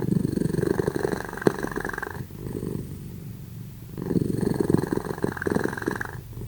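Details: Two cats named Simba and Prissy asleep and snoring loudly: a deep, vibrating purr-like rasp lasting around two seconds per breath, a longer hush in the middle, then another rattling snore.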